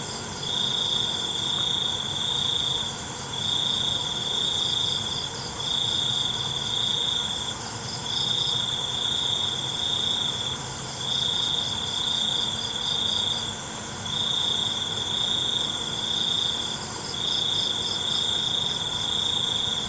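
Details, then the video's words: Night crickets in a relaxing nature recording: a shrill high trill sounding in sustained bursts of about two seconds, roughly twenty per minute, with brief pauses, over a dense continuous hum of other insects. "ALUNAN CENGKERIK MALAM"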